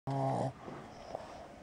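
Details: A Boston Terrier, just home from the vet after a paw injury, snores with one loud, low, buzzy rasp, then softer breathing. His nostrils and soft palate were trimmed, and he used to snore louder.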